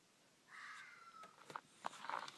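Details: A red fox, possibly calling for pups, gives a drawn-out, slightly falling wail, then several short sharp barks, loud, at about 1:47 am, after calling for some 20 minutes while running across the land.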